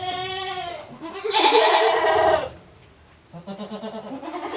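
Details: Farm-kept male goat making a strange noise, 7 December 2022: a clear wavering bleat breaks into a loud, rasping, noisy roar of about a second, followed by softer pulsing sounds.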